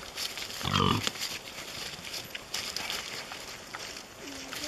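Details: A wild boar in Cazorla, Spain, at night under a spotlight gives a single short, harsh grunting squeal, with quiet human voices nearby; wild boar (Sus scrofa) grunt.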